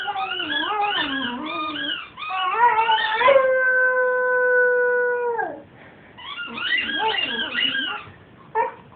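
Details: A 7-month-old male Cocker Spaniel puppy howls while playing with his squeaky toy, his voice wavering up and down, then holding a long steady note.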